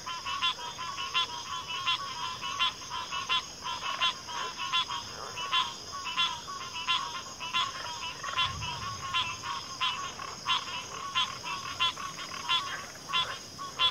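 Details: Backwater frog chorus of pig frogs and water frogs: fast, regular croaking pulses, several callers overlapping into a continuous rhythmic throb, with a constant high-pitched insect hum behind.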